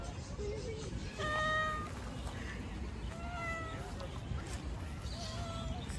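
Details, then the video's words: Stray cat living outdoors meows three times, roughly every two seconds, each call a short, steady, clear-toned mew, the first the loudest, over a constant low rumbling background noise. "Cat meows."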